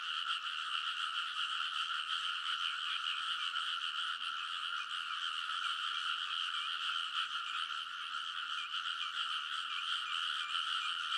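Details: Frogs chorusing loudly along a rice field bank late at night in early summer in Kōnosu, Saitama, Japan; dense layered croaking pulses without pause, with a few higher chirping notes standing out above the steady mass.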